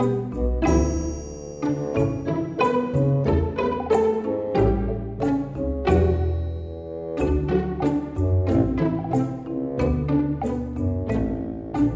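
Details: Orchestral string music with bowed bass and cello notes plays throughout, with no animal sounds.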